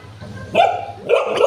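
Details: Golden Retriever, jealous and uncomfortable while another dog is petted at home, giving two short harmonic barks about half a second apart, with a faint low hum underneath.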